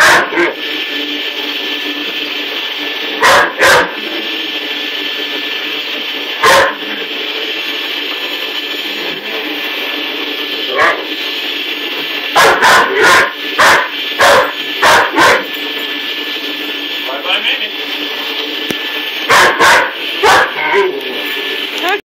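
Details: Great Dane puppy indoors barking at a running vacuum cleaner's powerhead, treating it as an enemy; short sharp barks in scattered bursts, often paired or in quick runs of four or five, over the vacuum's steady motor whine.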